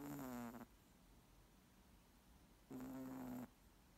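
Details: Snoring moose: two rough, buzzy breaths with a steady droning tone, each lasting under a second, separated by about two seconds of quiet, with a faint low hum underneath.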